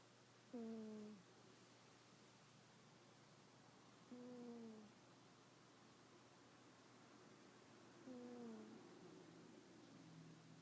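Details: Yuki, a sleeping cat, snoring indoors: three soft, short tonal snores, each slightly falling in pitch, repeating about every four seconds over a steady low room hum in a quiet space.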